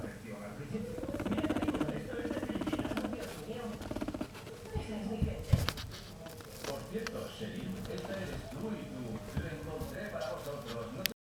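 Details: Pet guinea pig Choco rests on an orange pillow being massaged and purrs throughout. Fast, even, buzzy pulses repeat about three times a second, mixed with rubbing and rustling sounds.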